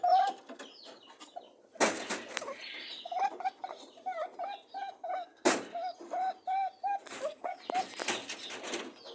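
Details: Rabbits mating, making steady runs of short humming honks at one pitch, each brief note close to the next, twice broken by sharp bursts of rustling movement.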